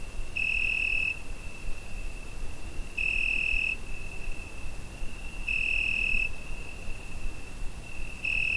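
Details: Summer night cricket captured on a Zoom H5 recorder: a continuous pure high whine swelling into brighter ringing pulses roughly every 2.5 seconds, about four pulses, with a faint low rumble beneath.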